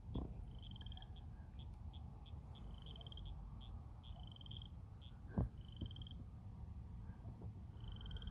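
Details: A frog near a Target parking lot in Wichita, Kansas gives high, thin pulsed chirps in short rhythmic bursts, pausing and then resuming; the recordist thinks it croaks as it breathes in and out.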